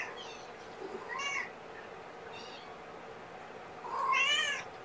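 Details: Kittens of a five-kitten litter at a morning bottle feeding with KMR formula; a few brief high mews, then a longer louder wavering cry near the end, over background hiss.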